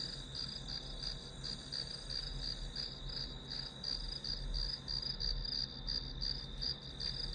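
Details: Grass insect chorus, played as study background noise, giving shrill pulsed chirps near three a second on top of a continuous high whine, with a faint low hum underneath.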